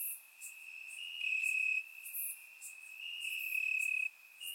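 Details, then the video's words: Crickets chirping at night in the grass on a warm summer night in Bulgaria, recorded with a surround microphone: a steady high trill holding one pitch, swelling louder in bursts lasting about half a second, with fainter hissy insect pulses higher up. "Cricket Sounds - Crickets Chirping at Night"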